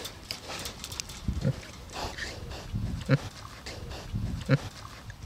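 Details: Bentheimer pigs, a pair kept on a sunny meadow in Germany's Lower Rhine area rather than in a fattening farm; low, short grunts repeating roughly every one and a half seconds over rustling sounds.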